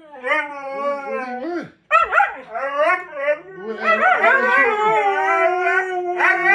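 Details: Siberian Huskies howling and talking as a demanding greeting before a bike ride: overlapping wavering howls with stacked harmonics, a brief break near two seconds, then several voices rising and sliding together.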